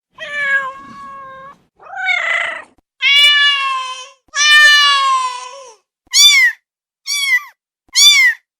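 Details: Domestic cat giving seven separate meows, the early ones long and steady-toned, the last three short, high and sharply bent, with brief silences between.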